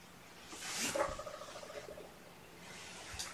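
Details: Nappish foster kittens stirring awake in a small room give a short, wavering meow that rises and then trails off over about a second, with a faint breathy rustle afterwards.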